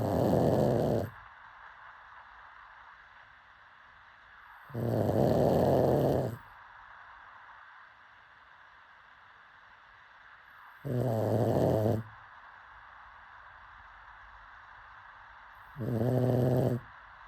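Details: Pug snoring while asleep: four raspy, low rumbling snores spaced roughly five seconds apart, each about a second long, with soft background hiss in the pauses.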